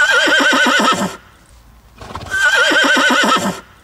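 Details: Two loud whinnies about a second apart from a Slovenian cold-blooded horse, an endangered autochthonous Slovenian breed; each call is a fast, shaking, vibrato neigh lasting about a second, harmonically rich, with near silence between them.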